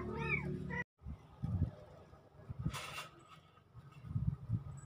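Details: Two kittens, Magayon cat babies, recorded October 17, 2024: one short, high, arching mew with layered harmonics opens, followed by a gap, low rumbling handling noise and a brief hissing burst of broadband noise.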